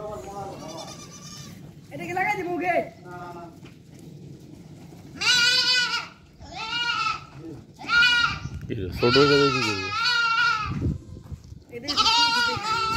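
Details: Goats on a desert farm in Qatar give loud, harsh, wavering bleats, each about a second long, coming in a cluster in the second half, mixed with people talking nearby.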